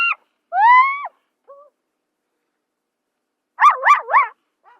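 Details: Zebra calls from the savanna: a short yelp, a long harmonic rising-then-falling cry, a faint brief note, then three rapid wavering barks near the end, on a silent background.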